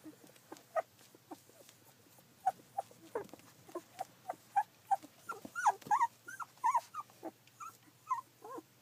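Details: Fourteen-day-old Collie puppies, filmed 9 July 2012, whimper in a steady run of short squeaky cries, roughly one per second, growing louder and more upward-bending whines toward the end.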